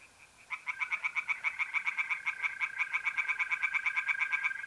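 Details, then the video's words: After a short quiet start, a tree frog bursts into rapid, regular grating pulses, about six per second, in a pond by night in mid-April, North-East Italy, over a constant mole cricket trill. "relaxing singing tree frogs in pond and trilling mole crickets by night"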